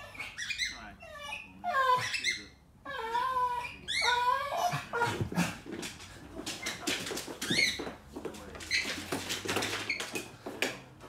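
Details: Deaf, special-needs rescue dog playing with his owner, finding his voice again: wavering, high, whiny yowls with bent pitch sweep through the first five seconds, then give way to scuffling and clattering play noise with faint voices.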